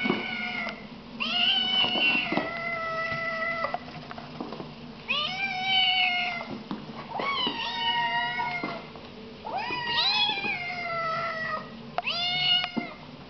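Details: Little Siamese kittens giving loud, sweet meows, a series of about six drawn-out calls, each rising then holding level, spaced a second or two apart, over a quiet room hum.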